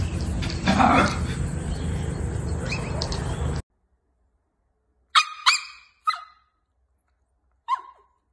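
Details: Jack Russell Terrier barking: after a few seconds of noisy, rumbling background that cuts to silence, four short, sharp, high barks come in a quick uneven burst, the last one set apart by a pause.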